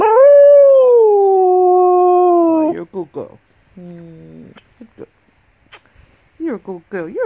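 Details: Female 8-year-old golden English Cocker Spaniel singing during a morning sing-along with her owner: one long smooth howl, sustained and gently falling for nearly three seconds, followed by the owner's praising speech and brief vocal bits.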